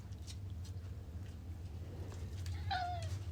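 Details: Pet cat giving a single short, falling meow near the end, answering a person's questions about being outdoors, over a low indoor hum and soft speech.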